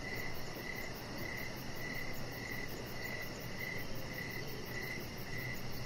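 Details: Crickets calling outdoors in the evening by a deck with decoration lights and a chihuahua puppy; brief bright chirps about every half second, a continuous shrill pulsing hum above, and muffled rumble beneath.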